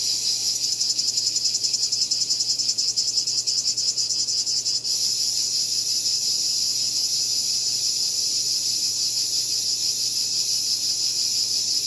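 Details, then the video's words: Cicada producing a rapid pulsating buzz for about five seconds, then shifting abruptly to a smoother, unbroken high whine that carries on steadily. "Cicada Called || ឪរៃអើយរៃយំ"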